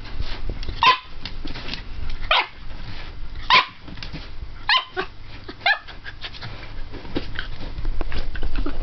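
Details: Jack Russell Terrier playing with his new big ball gives five short, sharp barks at roughly one-second intervals, followed by rustling, thumping play noise and scattered softer yips under steady low background rumble.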